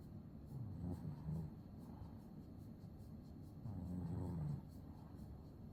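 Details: Maine Coon cat snoring while sleeping comfortably; two low, rumbling snoring breaths about three seconds apart, each lasting roughly a second, over a steady quiet hiss.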